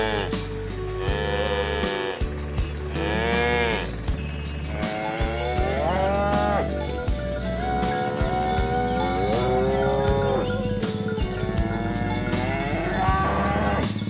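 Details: Cows pushing through a rice field ditch as the herd is guided to its pen in the countryside; a string of overlapping moos, some wavering and sustained, others brief, over steady low humming tones.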